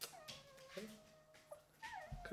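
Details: Golden Retriever puppies, eleven days old, in a litter indoors; thin, tonal whimpers hold steady then bend upward and down, with short squeaky breaks and soft thumps near the end.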